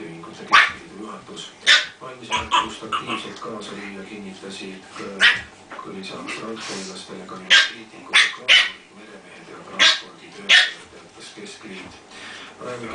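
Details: Two-month-old Pekingese puppies and their mother at play in Tallinn, Estonia, as she teaches them: frequent high yips and short barks in quick irregular bursts, with voices and a low background hum.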